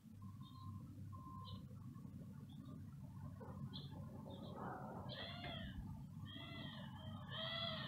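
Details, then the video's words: Stray cat, possibly hungry, meowing repeatedly; faint short calls early give way to louder, rising-and-falling meows in quick succession toward the end, over a steady low rumble. "stray cat talks to me but I don't understand what he says | Maybe he is hungry?"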